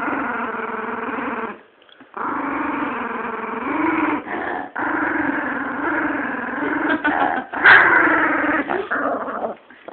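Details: Female chihuahua named Bee growling while guarding her bone as someone tries to take it. Steady, rough, rumbling growl with short breaks near two and four and a half seconds, swelling louder and harsher toward the end.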